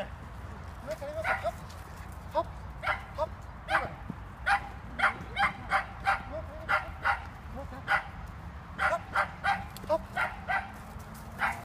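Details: Limonka, a border collie, during an agility training run; rapid yipping barks repeated about twice a second throughout, over a steady low rumbling background.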